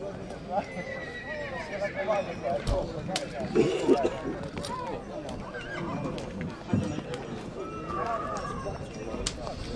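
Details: Stallion at Breaza, Bistrița, 2022: wavering whinny early on, with hoof clip-clops and knocks scattered through, under constant people's chatter.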